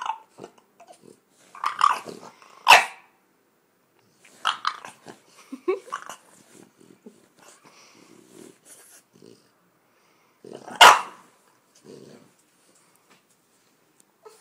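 A French Bulldog grumbles in bursts of throaty, whiny vocalisations between pauses.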